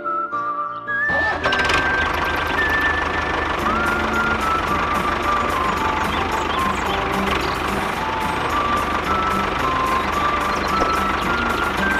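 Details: A loud truck engine rumbles under steady reversing beeps and background music, with no animal voice heard.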